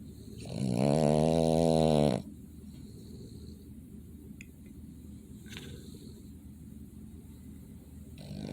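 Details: Sleeping Boston Terrier giving a single loud, rattling snore of nearly two seconds, harsh and buzzy with a steady vibrating tone, followed by quiet room background with soft faint clicks.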